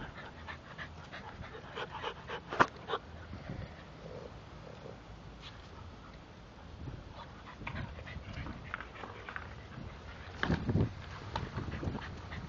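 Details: English Bulldogs Spike and Molly playing and biting; soft snuffling pants with scattered sharp clicks and a short burst of louder grumbling grunts near the end.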